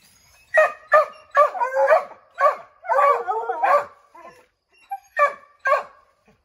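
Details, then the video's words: A pack of Redbone Coonhounds treeing a chipmunk in an oak, barking to make it scramble out; quick repeated barks blending into a wavering bawl, then a few isolated barks after a lull. "Redbone Coonhounds Tree a Chipmunk"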